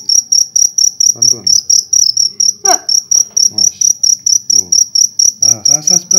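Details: Large cricket from a nighttime hunt in Indonesia keeps up a loud, shrill, regularly pulsed chirping, about three beats a second, as several short bursts of nearby speech break in.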